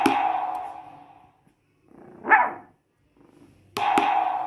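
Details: A male Shih Tzu puppy "sings" along with a drum, giving a brief, rising-then-falling howl between booming drum beats.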